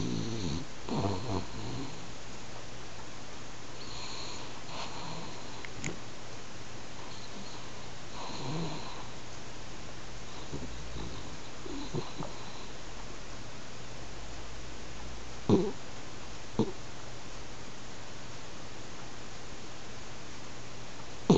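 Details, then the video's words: Sleeping pet French Bulldog Hanako snores at home like an old man, the snores gradually growing louder. Soft, low, rough breaths recur irregularly, with a few sharp sniff-like clicks near the end over room hum. "いびきする犬 フレンチブルドッグ"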